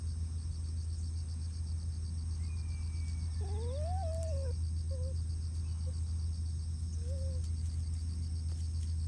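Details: Raccoon dog cubs calling as their family relaxes together: a thin, wavering whine that rises and falls, then a few brief soft whimpers spaced apart, over a steady low hum and a fast, pulsing insect-like chirring throughout.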